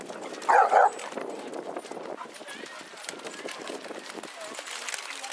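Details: Basset Hound among 22 on a group walk round Hazlehead Park, Aberdeen, Scotland, on February 2nd 2014, giving two loud, quick barks near the start, followed by steady crowd chatter and shuffling footsteps outdoors.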